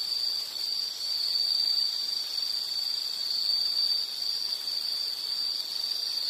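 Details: Insect calling in a nature soundscape: a steady, high, shrill continuous trill that holds one pitch throughout, slightly wavering in loudness, with faint background hiss and no other clear sounds.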